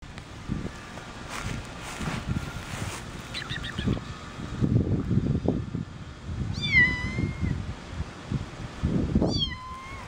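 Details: Orange three-week-old foster kitten meowing on its first time outside, walking across grass and concrete toward a person; three high, thin meows, each a short rising-then-falling cry, with low rumbling and rustling underneath.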